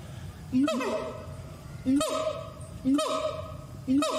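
A gibbon gives loud whooping screams, each sharply rising then falling, repeated about once a second.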